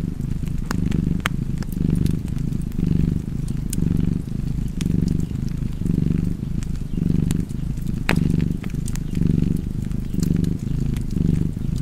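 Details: Domestic cat purring steadily in low, rumbling pulses that swell and ease about once a second, with sharp crackles and pops from a fireplace scattered throughout.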